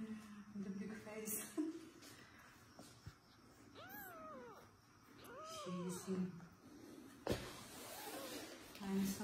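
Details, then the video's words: Mother cat asking for her kitten in a small indoor room, giving two clear arched meows in the middle, each rising then falling, with a softer third meow later, amid a man's speech and room noise. "Mother cat asks a big man to give her a kitten"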